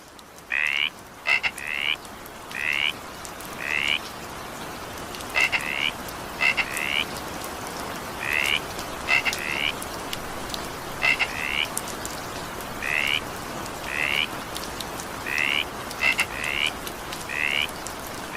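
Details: Frogs calling during evening rain: short rising chirped croaks with harmonic bands, repeated roughly every second, sometimes in quick pairs, over steady hiss of rainfall and scattered drop clicks.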